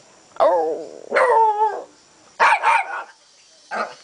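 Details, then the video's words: Canela, a pet dog eager to go for a walk, makes drawn-out, talking-like vocal barks with wavering pitch: a long moan then a sliding yowl, followed by two quick yips and a short final bark. "Canela, perra que habla - Canela, talking dog"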